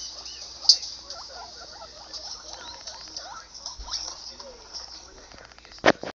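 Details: Pet guinea pig reacting to another guinea pig heard online, giving a run of quick, wavering squeaks and chirps with soft pattering and a sharp click near the end, over a faint electronic hiss.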